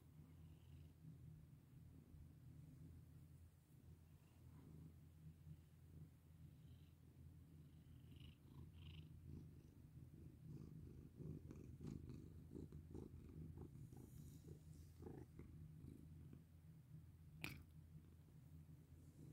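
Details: A petted domestic cat purrs steadily for the whole stretch, the rumble swelling slightly midway, accompanied by rhythmic rustling strokes and one sharp click late on.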